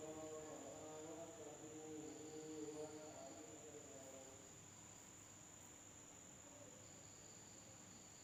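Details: Insects at night in an Indonesian village: a steady, shrill high drone runs unbroken throughout, with lower harmonic tones sounding in the first three seconds before fading under a faint hiss.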